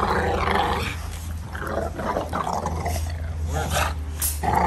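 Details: American Bully dog giving rough, low growling grumbles in uneven bursts, with brief sharper noises between them and a steady low hum underneath.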